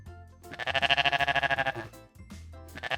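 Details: A goat (Capra hircus) gives one nasal, quavering bleat lasting just over a second, shaking in fast pulses, over soft background music.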